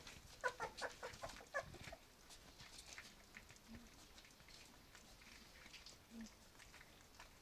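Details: Litter of puppies aged three weeks and two days, offered food for the first time; a quick run of thin, high squeaky whines fills the first two seconds, then quieter rustling and soft feeding noises.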